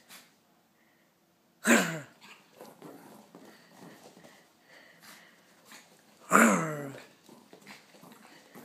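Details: Excited Pekingese indoors giving two sharp, loud barks about five seconds apart, with soft snuffling breaths and small rustling sounds in between.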